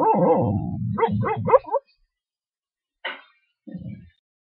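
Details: American Dingo named Larry asleep and dreaming inside his crate, giving low muffled woofs that slide into a few quick whining yips, followed by two short isolated sounds after a brief silence.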